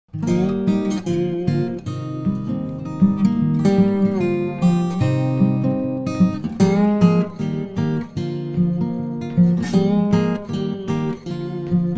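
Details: Acoustic guitar music with strummed and plucked chords carrying throughout.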